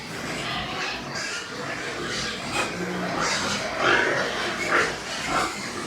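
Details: White pigs on a pig farm in Nepal, several short harsh squealing grunts scattered irregularly over a steady background hiss, with two brighter cries near the end.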